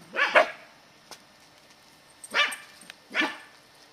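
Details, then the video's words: Katie, a ten-year-old Scottish Terrier, on squirrel patrol in November 2008, giving three sharp barks: a quick doubled bark at the start, then two single barks about a second apart, with quiet outdoor background. "Scottie Squirrel Patrol"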